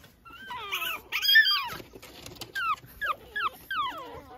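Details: Young Pekingese puppy out early in the morning, running about outdoors; clear high-pitched whines, several short falling squeals in a row after a longer wavering whimper, quiet between calls.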